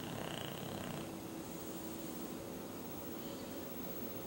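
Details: Sleeping English Bulldog named Duke snores like an old man; continuous gravelly, purring drone low in pitch, slightly stronger in the first second, then holding even to the end.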